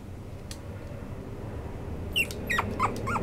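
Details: A young female fawn-and-white Chihuahua, after a quiet start, gives a quick run of high, thin whimpering yips, each sliding downward.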